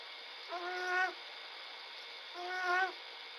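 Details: Two snoring breaths from a sleeping little bobcat, each a half-second reedy, harmonic drone that swells then cuts off, separated by quiet with a faint constant whine behind.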